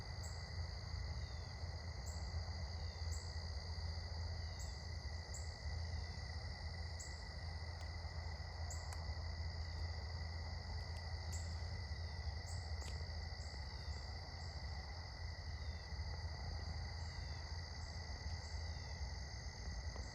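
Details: Crickets trill at dusk around sunset on an evening walk, in steady, high-pitched overlapping tones over a low rumble of wind noise.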